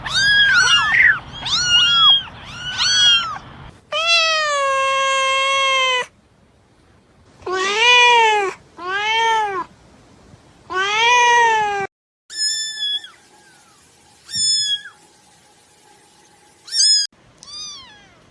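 Persian kittens give a string of high, rising-and-falling meows, some short and some drawn out.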